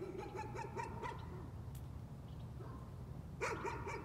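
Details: Nuisance barking by a dog, with a quick cluster of barks at the start, a short quiet gap, then fresh barks resuming at the end, all over a low steady hum.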